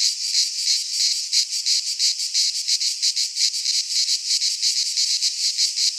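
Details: Chorus of cicadas in a Greek pine forest at midsummer, a harsh high buzz swelling and fading in regular pulses roughly three per second, continuous and unbroken.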